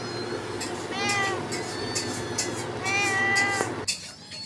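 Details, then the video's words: Kittens playing on grass with their mother cat: two drawn-out wavering meows, with a steady low hum and light rustling throughout. "cute kittens playing on grass with mother"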